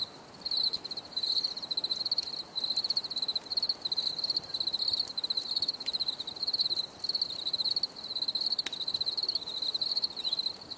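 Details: Crickets chirping in a relaxing nature recording: a steady high-pitched pulsed trill in short bursts, repeated nearly continuously with brief pauses, with faint clicks in the background.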